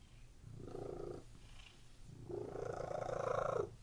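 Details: Cats lying on a bed purring: two low, rumbling purr phrases with a fast, even pulse, the first short, the second longer and louder after a brief pause.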